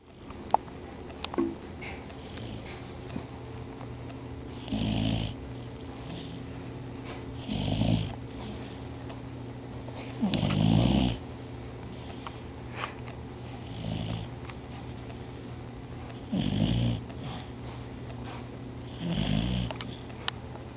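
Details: A sleeping beagle snores indoors with slow, rasping breaths that swell and fade in bursts about every two to three seconds, low and rumbling with a breathy hiss on top.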